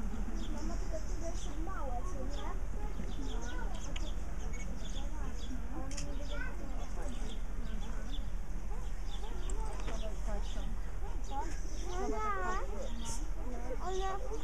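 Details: Chorus of meerkats, Suricata suricatta: scattered harmonic chirps and wavering squeaks, a burst of quick rising-falling calls near the twelfth second, over a constant low hum.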